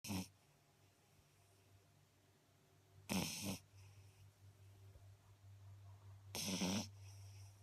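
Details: Eight-week-old female Beagle puppy asleep, snoring loudly: three harsh, breathy snorts spaced about three seconds apart, each roughly half a second long, with near silence between and a steady low hum underneath.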